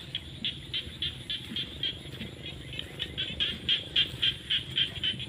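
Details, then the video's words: Rainy-season frog chorus from fields at sunset, with sharp high pulses repeating about four times a second in a steady rhythm over soft low background rumble. "The sound of frogs crying in the fields at sunset during the rainy season"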